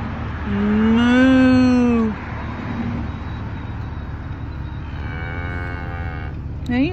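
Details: Cows in Lancaster, Pennsylvania, being talked to by a person: one loud, drawn-out moo of about a second and a half, rising slightly then falling, followed by a fainter, shorter call, over a steady low engine-like hum and a man's voice.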